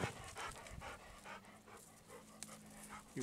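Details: Golden Retriever walking through still, windless woods, its steam-engine-like breathing heard as rhythmic breathy puffs alongside footsteps on the forest floor, with a person's voice briefly at the end.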